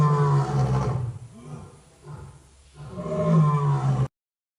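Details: Tiger giving deep, gravelly roars on a trip, raw recording: one long rumbling roar, a quieter breathy pause, then a second strong roar that cuts off abruptly.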